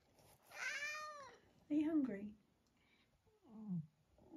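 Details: Long-haired tabby domestic cat, nearly 12 years old, indoors in the UK in October, gives one drawn-out rising-then-falling meow, followed by a shorter low mew, with a person talking softly to it in between.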